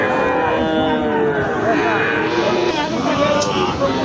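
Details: At the busy twice-weekly Ambari market, Sahiwal bull calves low in several overlapping, wavering moos, partly buried under constant human talk and general market noise.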